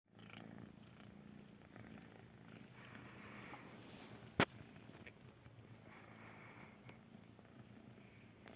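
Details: Kitten purring softly and continuously, a low, steady rumbling throb, with one sharp click midway through.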